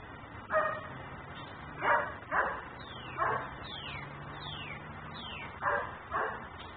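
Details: Nuisance dog left outside barking in a neighbour's yard in Mecklenburg, recorded on a camera filming in ten-minute cycles: six harsh, irregular barks in pairs and singles, with thin falling chirps between them and a low hum.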